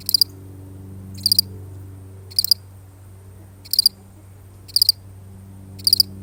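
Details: One solitary cricket chirping steadily, six short high pulsed chirps of about three rapid clicks each, spaced roughly a second apart, with a soft low hum underneath.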